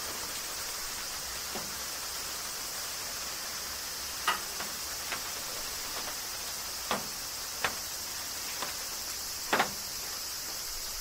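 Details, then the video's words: Cicadas in summer rain in Kyoto, Japan: a steady, dense, high hiss of massed insect song runs throughout, broken by sharp scattered taps and clicks, several sounding near the end. "Cicadas Summer Rain - Zen Sounds of Kyoto, Japan"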